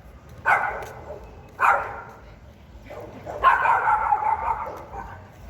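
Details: Pinscher dog barking loudly and fiercely: sharp barks near the start and at about 1.6 seconds, then a longer harsh, drawn-out bark run in the second half, with a faint background hiss.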